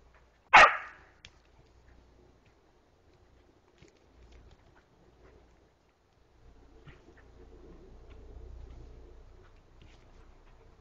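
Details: Border collie Moxie in a forest, trying to play with a young deer she found and woke: a single sharp bark near the start, then long quiet stretches with faint rustling and low rumble.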